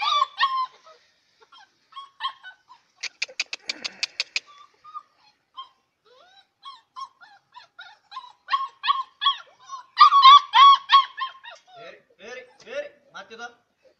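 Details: Several six-week-old Bhote Kukur puppies bark while playing together, giving scattered shrill yips and squeaks, a quick rattling burst, then a cluster of louder high yaps and soft whimpers trailing off.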